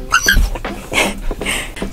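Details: Female Siberian Husky, excited and impatient in the car during Christmas tree shopping, screaming to get out: brief high, squeaky cries followed by several harsh, breathy yelping bursts roughly every half second, with a person's voice nearby.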